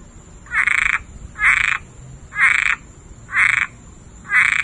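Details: Frog singing in a backyard before Hurricane Dorian; five loud, raspy, buzzing croaks, each about a third of a second long, repeated roughly once per second with quiet pauses between, over a faint low background hum.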